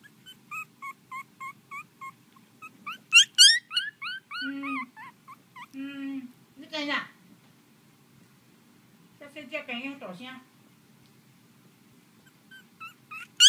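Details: Pomeranian puppies give a run of short, high, thin whimpers and yips with a slightly rising pitch, repeated several times a second. Louder squealing bursts follow, and a person's voice talks between them indoors.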